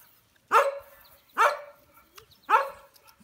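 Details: Three loud, high-pitched puppy barks from American Bully pups, evenly spaced roughly once a second, each short and sharp with a falling tail.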